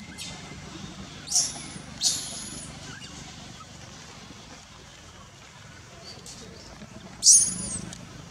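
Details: Wild baby monkey at Angkor Wat, Cambodia, clinging to its mother's back after she refuses it milk, gives three sharp, very high shrieks: two close together near the start, one more after a long quiet gap.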